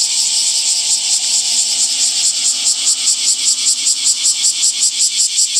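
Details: Cicadas calling in summer, a dense high buzzing drone with rhythmic pulses roughly two to three per second, steady and loud throughout, no other clear sounds.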